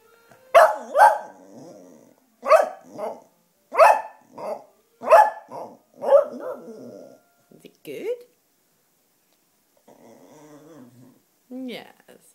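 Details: Sashka, a black Cocker Spaniel female who loves howling to wind instruments, especially clarinet, here tired and groaly; a series of sharp, tonal yelping barks roughly every second, then a short rising howl and a soft wavering note.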